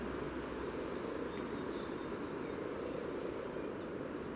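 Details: Spawning-site chorus of common frogs near the yellow trail in Sunnersta, Uppsala, Sweden, recorded at water level using a Telinga parabolic dish and Olympus LS14: unbroken, rumbling low purr of many frogs, with faint high twittering.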